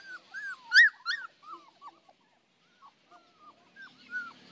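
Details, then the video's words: Saint Bernard puppies playing, whimpering in short arched yelps, a loud burst near the first second, then softer scattered whines after a brief pause. "Saint Bernard puppies playing"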